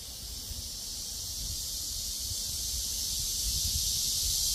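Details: Cicadas in a cool breeze, their dense high-pitched buzzing drone steady and unbroken, swelling slightly louder toward the end over a low rumble of wind.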